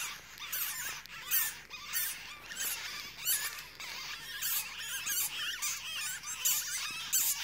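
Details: Chirping baby weasels with their mother beside a forklift charger at a recycling station; shrill high squeaks and chirps in uneven clusters, roughly one to two per second.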